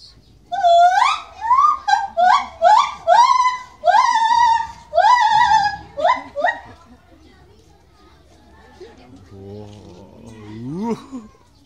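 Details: A white-handed gibbon at Maruyama Zoo, Hokkaido, on 18 July 2016, calls loudly while swinging rapidly back and forth along bars, giving a rapid series of rising, hooted whoops, then a few fainter upswept notes after a pause.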